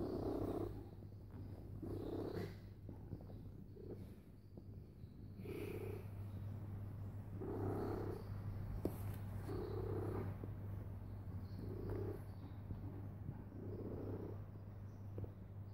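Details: A cat lies down and purrs very loudly, a constant low hum underneath, punctuated by rounder pulses roughly every two seconds as it breathes in and out, steady throughout.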